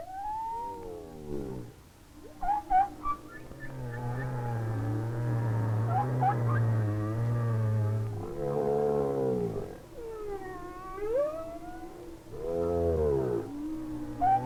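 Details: Humpback whale song in winter waters off Maui, Hawaii: moaning, swooping tones with deep sustained groans and rising and falling cries. It is sung by distant whales, the singer probably a lone male, possibly to attract a female.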